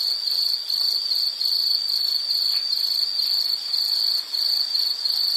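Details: Insect chorus in a nature sound recording: a steady, very high, shrill trill of rapid pulses, grouped into short bursts with a few brief dips in loudness. No other clear sounds.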